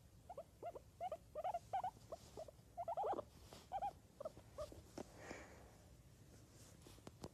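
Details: Guinea pig giving a series of short, squeaky chirping calls in quick bursts, some clustered tightly together, then fading out into quieter rustling and faint clicks.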